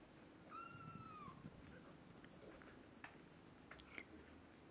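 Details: Domestic kitten at two weeks of age, eyes open and hearing developing, gives one clear, drawn-out mew that bends slightly downward, followed by faint clicks and shuffling noises in a noisy room.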